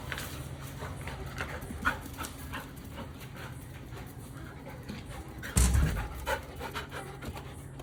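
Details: Labrador Retriever panting during play: rapid, breathy huffs in an uneven rhythm over constant low background noise, with a loud thump or rustle near the six-second mark.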